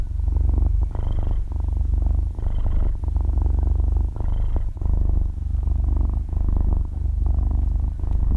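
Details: Six-month-old kitten purring while sleeping, captured at extremely close range in stereo: low buzzing rumble rising and falling with breaths, three stronger inhale phases then softer ones, silent room without voices or music.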